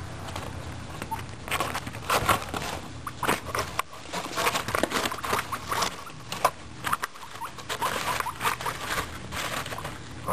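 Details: Several pet guinea pigs crunching a carrot, dense bursts of crisp gnawing clicks and crunches, with a few faint soft squeaks mixed in.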